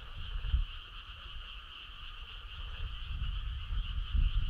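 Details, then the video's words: Frogs calling on a summer night in the countryside: a steady, unbroken chorus of high trilling holds throughout, while low rumbling thumps swell near the start and end. "Cool frog sound"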